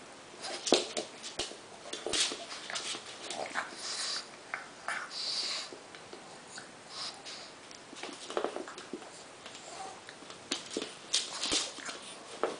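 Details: Pug pair Homer, aged one year, and two-month-old Lisa produce rapid noisy sniffs and snuffling huffs, some sharp and clustered, others drawn out, amid light pattering and rustling throughout.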